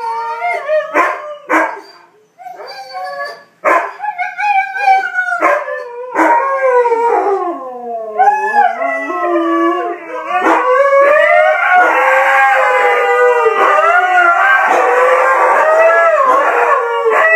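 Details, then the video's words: Mating chant of Siberian huskies, a male and three females in heat: opening yelps and short barks give way to long, bending howls that dip low, then several dogs howl together in a dense, overlapping chorus. "Husky Songs-Mating Chant"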